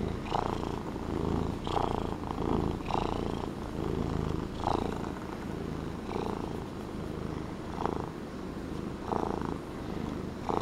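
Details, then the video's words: Pet Norwegian Forest Cat in a relaxed mood indoors, purring steadily: a deep rumble that swells with each breath, about forty breath pulses a minute, slightly irregular. "The Purring Norwegian Forest Cat!"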